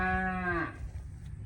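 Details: A weaned calf on day one of weaning, just separated from its mother, gives a loud, hoarse bawl that holds steady, then drops and fades out; a bull and the mother cows are also nearby.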